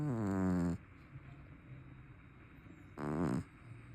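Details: Big, loud snoring from a sleeping, chubby brown tabby cat: two harmonic, vibrating snores, the first about three-quarters of a second long and the second shorter, separated by quiet breathing.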